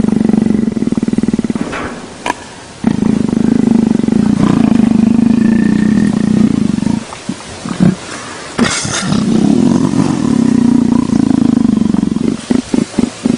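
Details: Petted leopard producing repeated bouts of deep, throbbing, pulsed rumbling, several seconds each, broken by short pauses with scattered clicks and handling noises.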